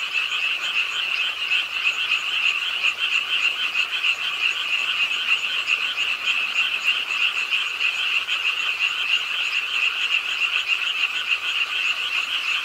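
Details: On a rainy late night at a park pond in Suwon, South Korea, a crowd of frogs croaks nonstop; fast, grating trills from many callers merge into a loud, steady chorus lasting the whole stretch.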